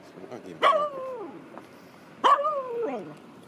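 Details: A Finnish Spitz on an early walk by the sea near Göteborg, Sweden, on a windy, cold April morning, not allowed to swim, complains with two loud, whining yelps about 1.5 s apart, each starting sharply then sliding down in pitch.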